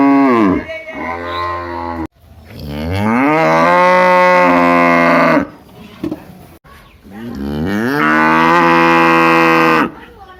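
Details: Big cow mooing loudly in a village setting, three long drawn-out moos with rich harmonics, rising then holding steady, separated by short pauses.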